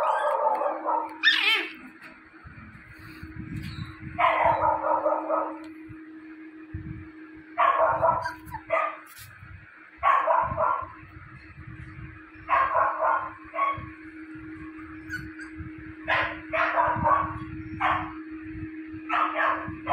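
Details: Japanese Spitz puppy between its 31st and 50th day, kept as a pet: short yipping barks in bursts every two to three seconds over a steady low hum, with faint thumps and rustling.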